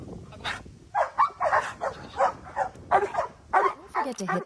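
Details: Pet Giant Schnauzer producing a string of short, gruff barks and yelping sounds at a rate of several per second, with a soft background hum.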